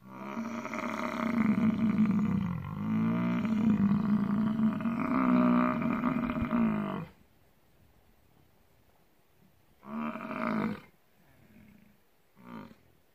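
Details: Bison bellowing: a deep, drawn-out roar with a wavering rumble lasting about seven seconds, then a quiet pause broken by two shorter, gruff grunting bursts.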